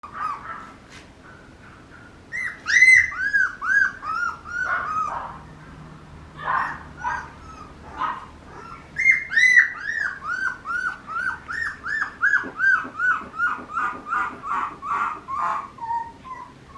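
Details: Papillon puppy giving long runs of whimpers: each note slides down in pitch and repeats roughly twice a second. The notes come in bursts with brief pauses, in a quiet room.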